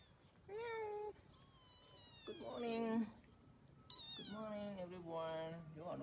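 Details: Kittens, three sisters, meowing indoors: several drawn-out, tonal meows, some rising then falling and one long wavering cry, overlapping at times, with a soft voice of a person in the background.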